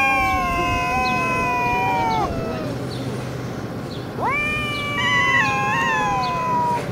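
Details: Two stray cats fighting in Russia, a long sustained yowl sliding down at two seconds, a pause of quieter growling, then a sharp rising wail held and warbling to the end, amid low urban rumble.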